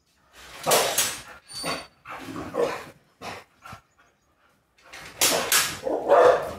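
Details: A Rottweiler puppy, female, pleads to go outside with a run of short yipping barks and grumbles, rising to a loud, strained vocal outburst at the end, heard indoors.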